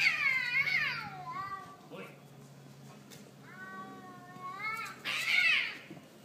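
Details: Cats fighting: drawn-out wailing yowls with rising and falling pitch, several long cries separated by quieter pauses, loudest at the start and near the end, with a low hum in the background.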